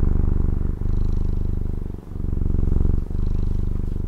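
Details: Domestic cat from Taiwan purring steadily up close: a deep, rumbling low buzz, broken by short breath pauses near one, two and three seconds, alternating between slightly louder and softer phases.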